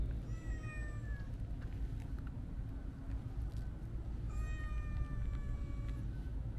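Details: Two long meows from a Siamese mix cat, one at the start and one past four seconds, each a clear tonal wail sliding slightly downward, set against a continuous deep outdoor hum.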